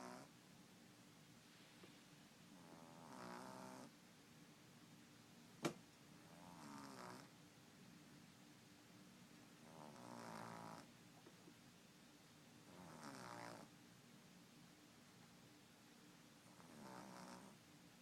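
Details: French Bulldog puppy aged 10 weeks, asleep indoors, snoring softly: quiet rasping breaths roughly every three seconds, each a short buzzy rattle, with one sharp click partway through and faint room hum.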